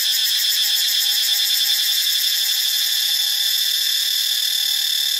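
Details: Cicadas in Ubon Ratchathani, Thailand, fill the air with a piercing, continuous high buzz made of rapid, even pulses that neither stop nor fade.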